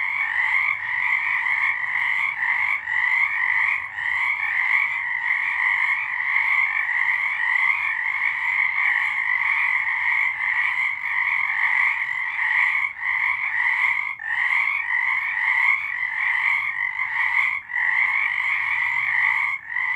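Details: Frogs singing in the dark on a March night in 2023: a dense, continuous chorus of trilled croaks with bright bands around two kilohertz, pulsing steadily and overlapping without pause for twenty seconds.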